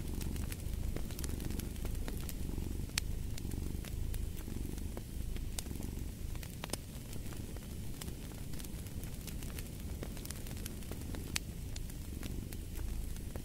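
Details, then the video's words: Cat purr forms a continuous deep throbbing hum with gentle breathing cycles, while frequent loud crackles and snaps from a burning fireplace punctuate it throughout. "Purring of a Cat"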